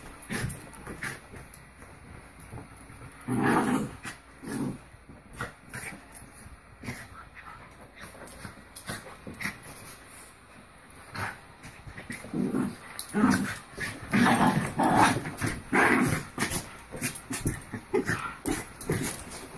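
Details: Two Havanese dogs wrestling in play, with bursts of rough growling and snuffling around 3.5 seconds and again from 12 to 17 seconds, separated by quieter stretches of scuffling and panting.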